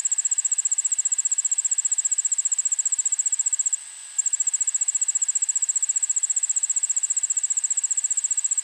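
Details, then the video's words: Allard's ground cricket (Allonemobius allardi) sings in a suburban backyard in Montoursville, Pennsylvania, at 1 pm on August 9, 2016: a high, thin, rapidly pulsed trill that pauses briefly, then resumes. "Allard's Ground Cricket (Allonemobius allardi)"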